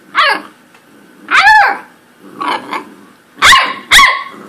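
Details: Corgi barking and yipping in short bursts: a sharp downward-sweeping bark, a longer strained yelp, softer muffled woofs, then two quick high barks close together, with quiet gaps between.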